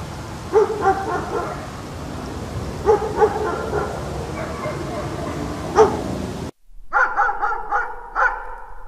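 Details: Dog barking in a compilation, short harmonic barks at irregular intervals over a noisy background, then after a brief silence a quicker series of five clearer barks.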